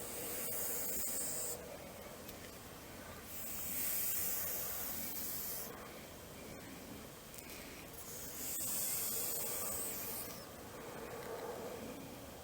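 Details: Grass snake (Natrix natrix), a semi-aquatic snake, angered after being caught and handled for the first time: breathy broadband hisses come in bursts of one to two seconds, separated by quieter pauses, with light rustling between them.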